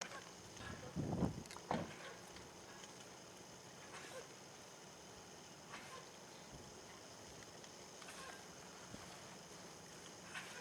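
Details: A bighorn sheep (Ovis canadensis) gives two quick, rough coughs near the start, then only a soft outdoor hiss remains.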